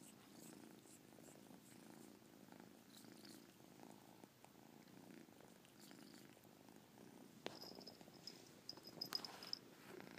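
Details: Caspurr the cat purring, a soft low rumble pulsing with each breath about every second, with a chirp in the purr; faint high squeaky tones appear in the last few seconds.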